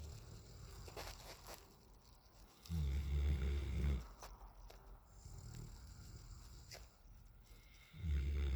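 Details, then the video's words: Asleep on the back patio, nine-month-old male Alaskan Malamute Raiden snores in low, rough rumbles: a long one of over a second, a softer short one, then another loud rumble starting, with soft breaths between. "9 Month Old Malamute; Raiden snores like his Dad"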